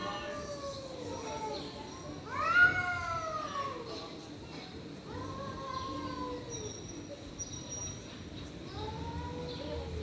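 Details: Stray cats in a fight, trading strange drawn-out moaning yowls, one sharp louder rising wail early, then softer wavering howls, with a faint high tone in the background.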